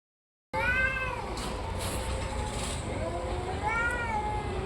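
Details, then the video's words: Orange and white domestic cat meowing: two drawn-out whining meows with wavering, bending pitch, one at the start and one near the end, over steady background hum and a brief rushing noise. "caty funny sounds"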